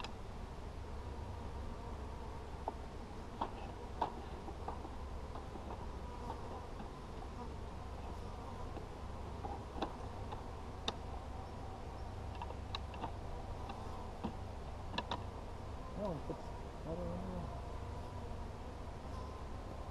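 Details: Honey bees humming in a low, continuous drone while their hive is inspected on 17 July 2020, with frequent sharp taps and clicks of frames and equipment scattered throughout.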